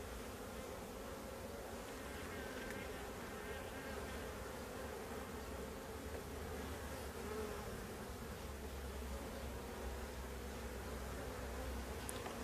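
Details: Honey bees of a drone-laying colony, whose laying workers have produced drone brood, while a beekeeper inspects frames packed with honey. A steady, dense, low hum of many bees holds throughout, with a faint tick at the end.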